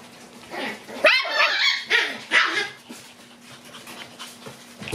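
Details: Black Shiba Inu puppies, males born 30 May, big and small ones romping together in play; several short sharp yips and barks clustered around one and two and a half seconds, with softer whimpers and scuffling between.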